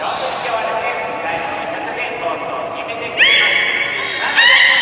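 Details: Beluga during a public training session at Port of Nagoya Public Aquarium, 24 March 2018, 16:30 show: two sudden, loud, steady harmonic squeals near the end, a thin high trainer's whistle before them, amid a steady murmur of amplified speech.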